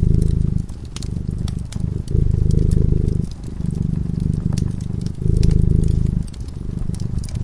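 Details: Cat purring while sleeping before a crackling fireplace: a low, steady rumble that swells and fades in breaths about a second long, with sharp fire crackles and pops scattered through it.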